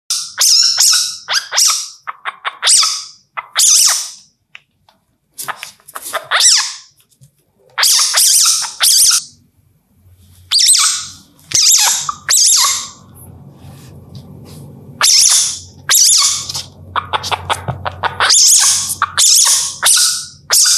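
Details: An Indian palm civet in India, calling at night, gives harsh, high squeaky hisses in quick irregular bursts.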